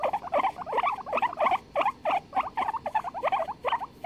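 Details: Guinea pigs in a duet, 23 February 2021, trading quick, squeaky chirps in dense, uneven runs of about three notes a second, with no pauses, above a low continuous hiss.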